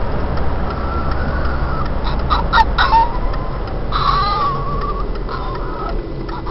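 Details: Kat, a pet dog, gets very excited in a car as it nears her owner's parents' house, where she loves to run free. Thin, wavering high whines come in short bursts over a steady low engine rumble.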